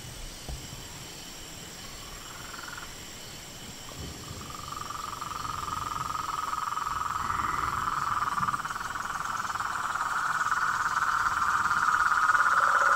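A dense chorus of frogs and toads, a steady buzzing trill swelling and growing louder.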